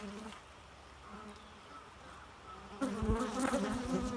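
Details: Bee. A bee hums with a low, steady drone that wavers slightly in pitch. Near the end the buzz grows louder and harsher as the insect comes close, with a few soft knocks in the background.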